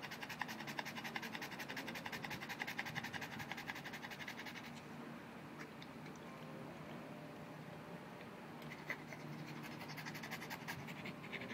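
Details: Mr. BabyPants, a Boston Terrier, pants hard after playing with his orange ball: quick breathy rasps for several seconds, a pause with faint scratching, then the rapid panting resumes near the end.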